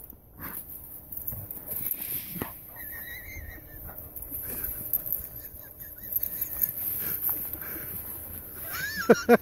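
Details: Two bloodhounds, an older brother and a younger sister, playing together. Soft high whimpers come in short bursts, then a louder bending whine near the end, over scuffling, rustling and quiet background noise.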